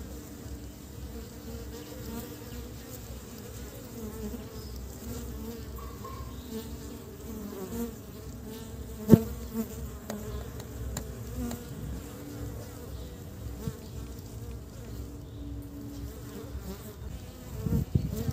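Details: Honey bees returning with pollen to build their nest in early spring buzz steadily, a low droning hum with a brief sharp click midway.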